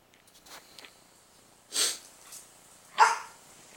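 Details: Pet dog barking at a baby pitbull puppy indoors: two sharp, broadband barks about a second apart, with fainter softer sounds between them in a quiet room.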